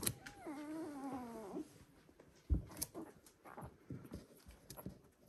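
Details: Border Collie pups, one week old, "U2" litter of Selen and Max: a clear, drawn-out whining cry of about a second, wavering then sagging in pitch, followed by rustling, a knock and faint squeaks indoors.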